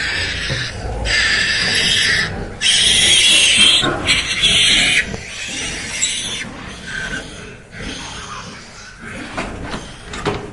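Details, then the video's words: Pigs recorded live, with newborn piglets whose eyes are not yet open coming to suckle while the sows rest; loud, harsh, noisy squealing bursts of about a second each, separated by quieter rustling gaps. "Pigs Live Recording Sound Effect"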